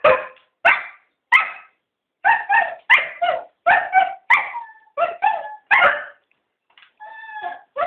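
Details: Cocker spaniels, three together, pleading to go for a walk with a rapid series of sharp barks and yelps, about a dozen bursts in eight seconds, ending in a drawn-out whine.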